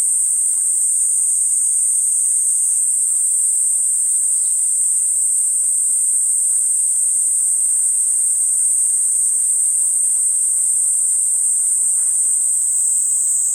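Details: Platypleura kuroiwae cicada singing a continuous, very high, shrill buzzing drone that holds steady without a break; faint scattered clicks in the background.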